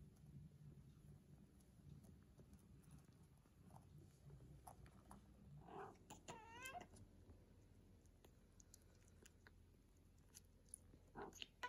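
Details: British Shorthair kittens, 19 days old, playing and eating with their mother; a single high mew with a stacked, wavering pitch about midway, surrounded by soft rustling and tapping from the litter.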